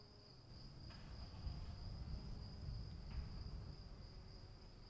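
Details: Crickets calling in the rain: a steady, unbroken high-pitched trill with a fainter, even higher ringing tone above it. The constant hiss and patter of rainfall fills the lows, with a few soft taps.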